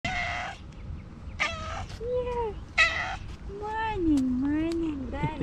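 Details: Pet tabby cat greeting her owner in the morning with several short meows, some bright and rising, others lower and drawn out, mixed with a man's voice speaking affectionately to her.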